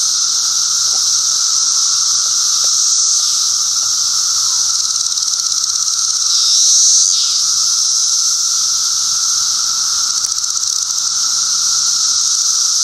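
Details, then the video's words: Chorus of adult Brood XIII 17-year cicadas near Chicago in 2008, three species with differing songs; continuous shrill buzzing wall of sound with a lower steady tone, and a brief swelling, wavering call standing out near the middle. "Each kind appears a little different with a different song."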